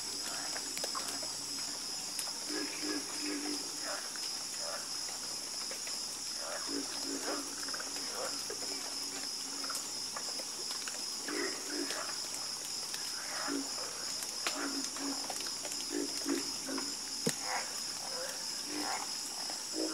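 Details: Nighttime frog chorus of scattered short croaks from many animals, bursts coming and going over twenty seconds, accompanied by a persistent high insect hum.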